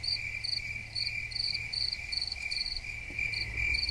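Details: Cricket chirps used as relaxing nature sound: short bursts of high, ringing pulses roughly twice a second, slightly uneven, with faint low rumble near the end.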